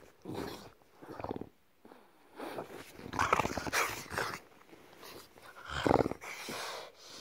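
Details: Pet bulldog grumbling while getting a belly rub, a string of throaty, voiced growls and groans in bursts of about a second, rising and falling in strength, separated by short quiet gaps in a small room.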